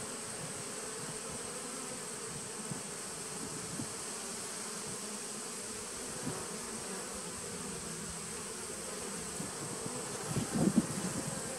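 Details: Bees in a nuc colony started in 2017, recorded on 19 September 2018: a steady, dense droning hum with low and mid tones held throughout, a thin constant high whine above, and a brief louder swell of buzzing near the end.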